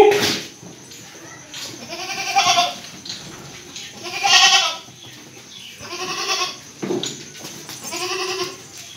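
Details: Breeding buck goat at a goat farm in Paschim Medinipur, West Bengal, India, giving four drawn-out, quavering bleats roughly two seconds apart, each about half a second long, over low farmyard background noise.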